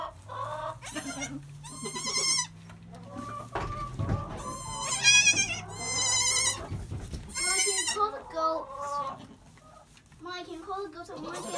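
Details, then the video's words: Two newborn Nigerian Dwarf goat kids, Pip and his sister Pearl, about one hour old in July, born weighing 2 and 3 lbs: high, quavering bleats in bursts, some overlapping, with soft human voices murmuring underneath. "The Adorable Sound Of Newborn Nigerian Dwarfs"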